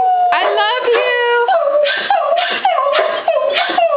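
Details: Jams, a female Beagle, howls at home when her owner says "I love you", with Annie the Coonhound and Jack the Shep Mix joining in. Sustained, wavering, tonal howling with rich harmonics runs throughout, broken by short bursts, while a person repeats "I love you".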